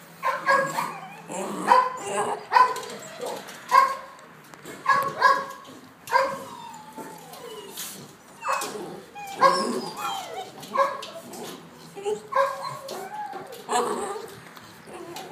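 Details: Presa Canario, also called Dogo Canario; a series of sharp barks and yelps, roughly one every second or so, some with short rising and falling whiny tones between them.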